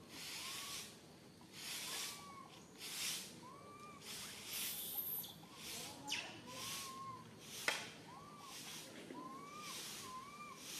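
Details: Tiny baby monkey Santos, alone and stuck high in a tree, cries fearfully for its mother: arched, whistled coo-like calls that rise then fall, repeated roughly every one to two seconds, over bursts of rustling, hissy noise.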